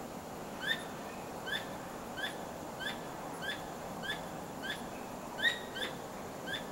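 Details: Squirrel calling at night while repeatedly wagging its tail; the calls are unusual for nighttime. Sharp, clipped chips with ringing overtones repeat roughly twice a second at a steady pace over a soft, hissing night background.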